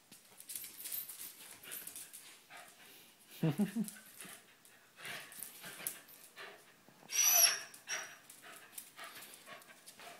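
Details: Two dogs, Binks and Shorts, wrestling indoors at play: a loud low growl-bark bursts out near three and a half seconds, then scuffling, panting noises and a sharp yelp near seven seconds, with scattered human voices.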